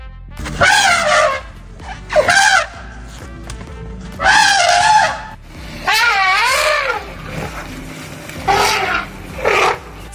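An elephant gives a series of loud, brassy trumpeting blasts, each about a second long and wavering in pitch.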